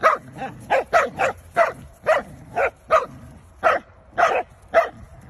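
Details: Short, bright barks from a Corgi, repeated about twice a second in an even rhythm, each yap clipped and punchy with brief quiet spaces between them.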